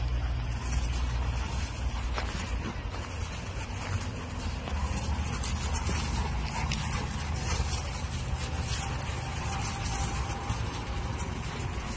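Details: A steady low vehicle rumble runs throughout, with faint distant voices and no animal call.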